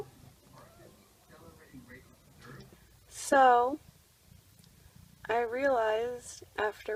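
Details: Indoor birth of Julie the mother cat's kittens as she bites through an umbilical cord: soft human talk, then a short rising-and-falling cat cry followed by a longer quavering meow.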